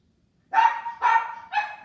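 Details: Toy-sized Mexican hairless dog puppy, a miniature Xoloitzcuintli, barking three quick, bright yips in a row with the last one shortest, against near silence.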